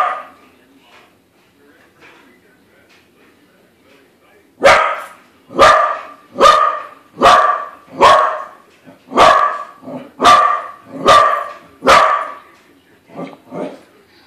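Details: Corgi reacting to a corgi balloon: about four seconds of faint murmuring and soft sounds, then a steady string of roughly ten loud, evenly spaced barks, about one per second, tapering into smaller yaps.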